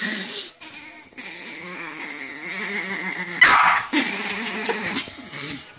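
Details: An angry chihuahua gives a continuous rough growl that pulses unevenly, swelling into a sharper snarl midway before easing back to a low rattling rumble.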